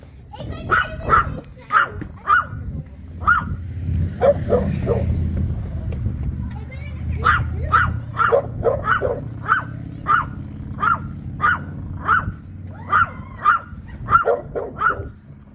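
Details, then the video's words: Chihuahua in Burgerveen guarding an eel sandwich, giving a long run of sharp, high yapping barks, singly and in quick pairs and triplets, about twenty in all, over a low household rumble with faint voices early on. "Chihuahua en bewaakster van broodje paling"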